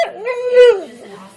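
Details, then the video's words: Domestic dog vocalising to its owners in a drawn-out, whining howl that swells upward, holds a steady pitch, then drops away, with a short lower murmur trailing after; household setting, no competing sounds. "Funny dogs talking to owners"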